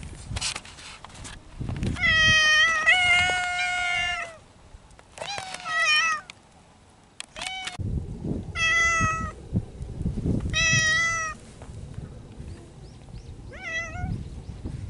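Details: Loud courtship yowling from feral mountain cats in spring: a series of long, harmonic wails, some wavering and rising, several seconds each, broken by short pauses and shorter cries, with rustling and low background rumble.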